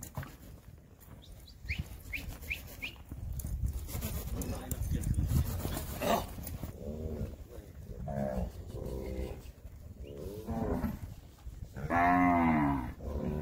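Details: Nelore cows herded and called during weaning of their calves on a farm in Brazil; a run of deep, rich lowing calls from about seven seconds onward, the last one loudest, over muffled low-frequency noise.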